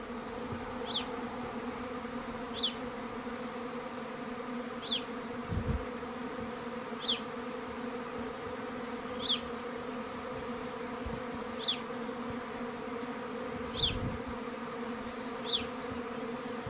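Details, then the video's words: Swarming treatment-free honey bees in a garden in May during breakfast time: a steady, low, droning hum with layered harmonics throughout. A bird gives short, sharp, descending chirps roughly every two seconds over the buzz. "Honey bee swarm over breakfast"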